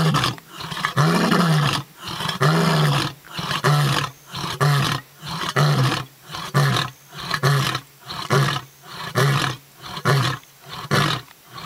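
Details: A lion at Londolozi in Kruger National Park, South Africa, roars: two long, deep moaning roars followed by a run of shorter, burp-like grunting roars.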